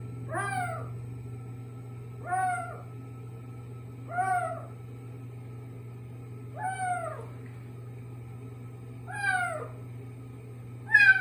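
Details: Kitten making an unusual sound in a bathroom: five drawn-out, falling, harmonic meows, one about every two to two and a half seconds, over a steady low hum.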